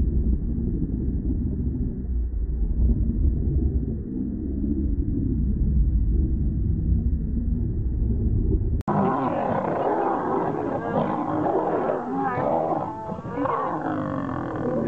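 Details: Two wild male lions fighting to become king: deep, continuous low rumbling growls for about nine seconds, then an abrupt cut to louder, harsher snarls with wavering, strained tones and broad noisy scuffling.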